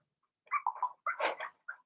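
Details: Blenheim Cavalier King Charles Spaniel puppies from a litter of six, indoors in a puppy pen during potty training, give a short burst of high, nasal yelps and whines, two quick clusters followed by one brief squeak.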